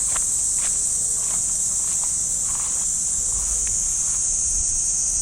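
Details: A steady, piercing cicada drone comes from trees in a park in Japan on an early summer morning. Light footsteps and grass rustling sit underneath.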